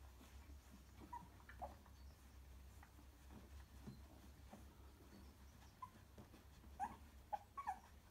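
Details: Three-week-old cockapoo puppies coming to their mother and settling give soft, brief whimpers and squeaks over a low indoor hum.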